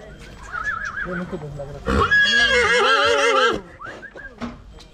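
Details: Heavy grey breeding stallion from Oradea, Romania, gives one loud, quavering whinny lasting about one and a half seconds, with people's calls of "ho" and quiet talk before and after.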